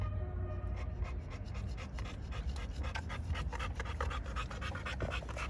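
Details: American Bully pocket dogs from a Romanian kennel panting, a fast series of breathy rasping pulses over steady low background hum.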